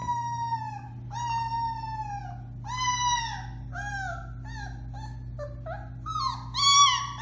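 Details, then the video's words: Kwik-Pak Alaskan Malamute puppies aged four weeks, Bema and Cole litter, March 30, 2021: a string of short, falling, harmonic-rich howls about one per second, turning higher and more yelping at the end, over a steady indoor hum. "Puppy Howling, 4-weeks old"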